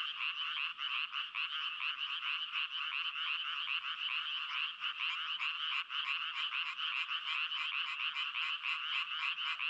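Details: Frogs crying in a dense, unbroken chorus of rapid pulsed croaks, bright and raspy, overlapping so thickly that the calling never pauses across ten seconds; no other sounds stand out.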